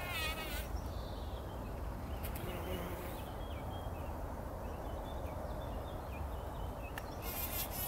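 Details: Bumblebees working poppy flowers early in the morning before sunrise, rolling in a pollen bath; a low droning buzz hums under background noise while small birds chirp and twitter higher up.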